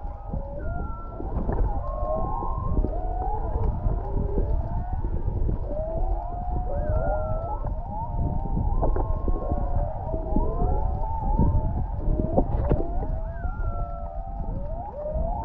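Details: Long stretch of humpback whale song recorded underwater about half a mile off Canoe Beach, Maui: dense chorus of twisting whistles, upsweeps and short higher squeals overlapping constantly, with heavy low rumbling background and occasional clicks.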